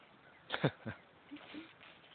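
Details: An 8½-month-old female Alaskan Malamute, meeting her Japanese Spitz friend again, gives a few short, rough woofs in quick succession, then falls quiet.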